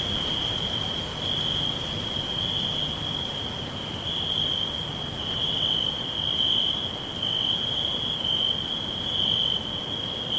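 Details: A chorus of crickets in a natural forest, one sustained high-pitched ringing trill with slight surges in loudness, faint ticking above it and a low rushing ambience beneath.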